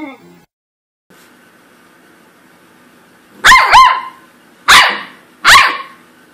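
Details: Blix the corgi barks after a few quiet seconds with a faint background hum: two quick sharp barks close together, then two more spaced about a second apart, each loud and bright.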